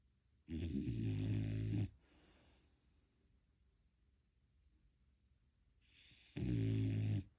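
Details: Sleeping French Bulldog snoring, recorded unedited: two long, rough, low rumbling snores, each lasting over a second with a buzzy rasp, separated by about four seconds of quiet breathing.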